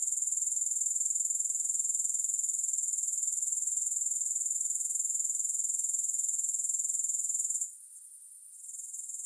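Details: Grasshoppers producing an unbroken, high, sizzling trill with a regular pulse of about four per second. It drops out briefly near the end, then resumes more softly.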